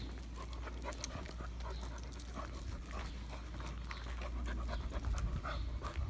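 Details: Irish Setter Sheyenne pants unevenly during her first outing to the park, 23 June 2022, excited and all over the place; breathy bursts come a little over twice a second, with scattered clicks, footsteps and a deep background rumble.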